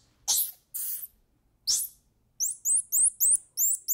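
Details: Squirrel monkey calling: three harsh, noisy bursts in the first two seconds, then a quick series of high, sharp upward-sweeping chirps repeated about every quarter second.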